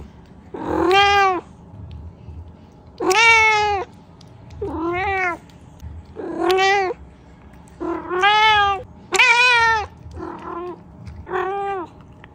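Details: Talkative male pet cat meowing for a treat indoors: seven clear, harmonic, rising-falling meows, each under a second long, spaced about one to two seconds apart, with little background noise.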